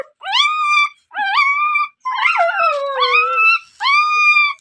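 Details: A dog gives short rising howls roughly once a second, each a clear tone swooping upward then holding, with a longer falling wail in the middle and short silences between calls.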